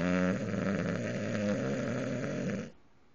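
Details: English bulldog snoring while asleep with its eyes open: a loud, rough, rattling snore held for about two and a half seconds with a fluttering pulse, then breaking off into quiet.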